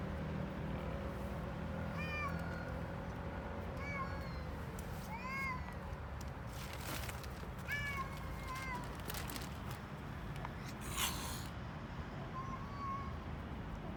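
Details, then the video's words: Hungry stray street cats in Istanbul, Turkey, meowing for food while eating: several short meows that rise and fall, spaced a second or two apart, over a steady low rumble of street noise. "Hungry Street Cats Eating And Making Funny Noises At The Same Time"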